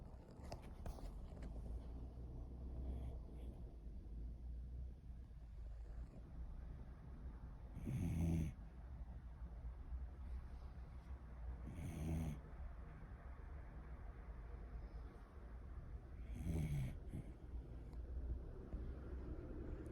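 A Cocker Spaniel snores softly, each rough, breathy snore arriving about every four seconds.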